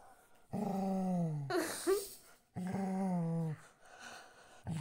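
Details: An angry golden retriever gives two low, drawn-out, slightly falling growling moans with a harsh burst between them.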